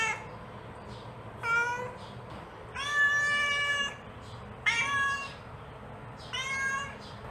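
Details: Mother cat calling to her kittens with four meows, a short one, a long steady drawn-out one near the middle, then two shorter bright calls, against a faint background hiss.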